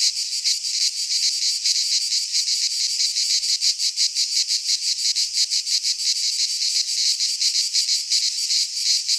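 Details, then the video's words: Cicadas singing in midsummer in a Greek pine forest: a loud, continuous rasping buzz made of rapid pulses, with the volume swelling and fading in quick uneven throbs; no other sounds. "Cicadas singing in midsummer"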